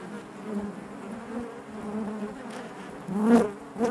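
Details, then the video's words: Honey bees buzzing inside their hive: a dense, steady drone with a low hum and stacked overtones, and a louder swell of close wingbeats near the end as a bee passes near. "bees therapy hive natural buzzing sound"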